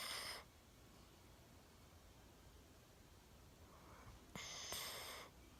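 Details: Milo, a one-year-old Golden Retriever, sleeping soundly indoors with his chin propped on a table, gives hoarse snoring breaths: one fading at the start, a long quiet gap, then a louder rasping snore near the end.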